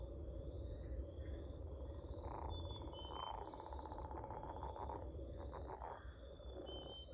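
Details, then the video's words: Several overlapping pulsed trills from singing frogs, repeated in short bursts, set against a loud low rumble, with thin high whistled bird notes and a brief hiss in the middle. "Singing frogs"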